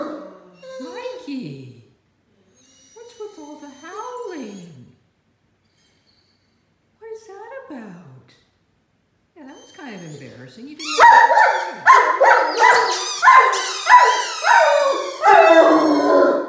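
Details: A Great Dane puppy, excited while playing with a squeaky mouse ball toy, howls at it in sliding, wavering whines that swoop up and down. Shrill toy squeaks join in, and a woman asks him to use his indoor voice.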